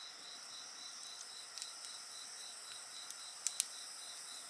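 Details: Steady high-pitched insect chorus of pulsed chirps and sustained tones near a bonfire, with soft snapping and a couple of sharp crackles late on.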